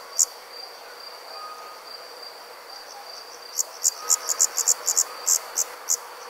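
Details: Night cricket chirping: after a quiet stretch with one lone chirp, a quick series of bright, high chirps starts near the end, over a soft constant background hiss.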